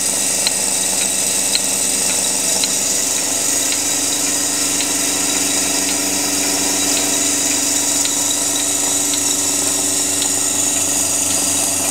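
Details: Loud, constant machinery hiss and drone in a dim farm barn during milking, with sharp clicks ticking about once a second and no animal calls.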